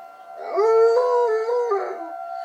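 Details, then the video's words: Dog howling along with a tornado siren: a short, rising, mournful howl that holds level and dips slightly before fading, backed by the siren's continuous tone. "My dog howling at tornado siren"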